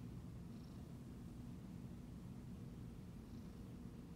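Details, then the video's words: Steady low purring from a Siamese cat as it is petted, a rough, even rumble with a rapid pulsing grain and no pauses, accompanied by a few faint soft rustles. "Relaxing Video Petting My Siamese Cat"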